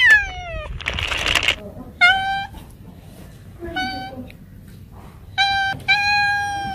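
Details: Repeated cat meows, each clear and harmonic. A falling meow opens, followed by a burst of hissy noise, then several level, sustained meows with short pauses between them. Faint background hum.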